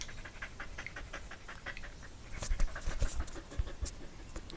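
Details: Rapid rhythmic dog panting compared to a steam train, a stream of short hissing puffs about two or three per second, growing louder with deeper thumping breaths halfway through.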